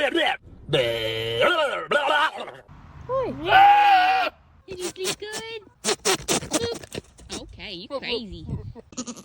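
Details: A goat gives loud, wavering bleats while a person talks to it at feeding time.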